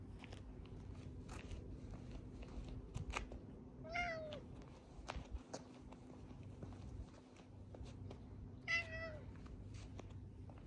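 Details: Cat in a park in Adachi, Tokyo, Japan, walking beside its owner and jumping on them, December 2, 2022: two clear harmonic meows about five seconds apart, the first falling, the second rising then falling, over footsteps and low outdoor rumble.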